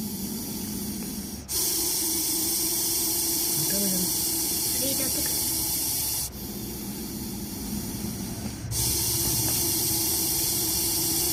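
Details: Russell's viper, a deadly venomous snake, hissing: a loud, steady, breathy broadband hiss that runs almost without a break, cut by short pauses near 1.5, 6.3 and 8.7 seconds, over a faint low hum.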